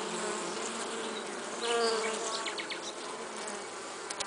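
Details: A honey bee carrying pollen gives a low, steady buzz, swelling briefly as it passes closer, over a soft hiss.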